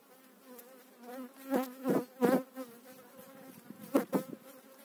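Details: Honey bees from eight frames moved into a beekeeper's own hive in spring 2018 give a low, even buzz that swells into brief louder passes near the microphone, mixed with crackling clicks of frames being handled.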